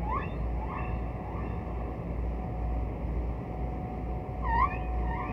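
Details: Distant humpback whale singing in archival ocean recordings: short upswept whoops rising quickly in pitch, repeated roughly every half second, then a brighter louder upsweep near the end, over continuous low underwater rumble.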